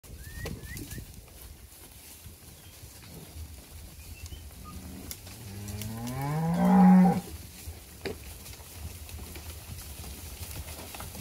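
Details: Bonsmara-type and Beefmaster-type cattle at an auction sale in Warmbad: one low, drawn-out moo swells and fades over about two seconds midway, with a quiet background murmur and faint clicks before and after.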